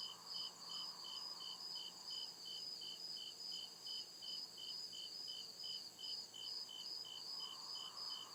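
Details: Night chorus of crickets in deep forest, regular bursts of high chirps pulsing roughly every 0.4 seconds over a constant shrill band, with faint swelling mid-pitched buzz in the background.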